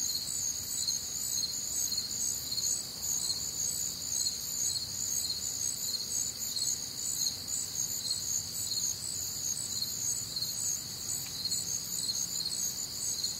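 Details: Crickets calling through a warm, humid Midwestern summer night, a steady shimmering wall of high, rhythmic chirps from many insects, unbroken and even in loudness, with faint low-frequency background noise.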